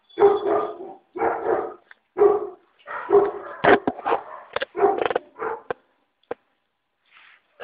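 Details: Yelping five-week-old puppies, a steady series of harmonic barks about once per second, then quicker, sharper squeaks that thin out into faint, brief peeps near the close.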